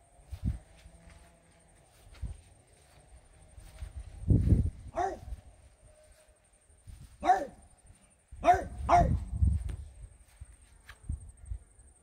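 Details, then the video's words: French Bulldog Regis barks at fairies indoors in irregular bursts: a low thump, then single and paired sharp barks, some in quick doubles near the end, with rumbling handling noise and a faint high whine throughout. "barking at fairies"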